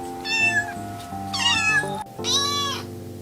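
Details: Kittens meowing three times, clear bright meows about a second apart, the last one longest, with music playing underneath.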